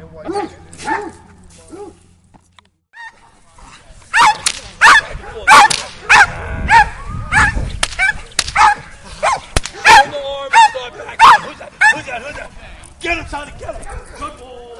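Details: Donovan Pinschers training in Schutzhund exercises, a dog barking hard and fast: loud, harsh, repeated barks come in a steady volley from about four seconds on, after a brief quiet start with an excited human voice urging the dog on.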